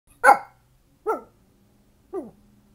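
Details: Pet dog barking at the garbage truck; three sharp barks spaced about a second apart, the first loudest and the later two softer and falling in pitch, with a faint low hum between them.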